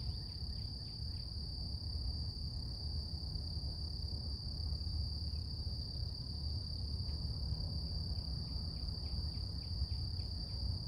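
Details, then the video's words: Cicadas singing in nature in the morning: one unbroken, steady high-pitched hum holding a single even tone with a fainter higher overtone, faint short ticking chirps scattered throughout, over a constant low rumbling background noise. "Relax With Cicadas Nature | Calming Insect Sounds"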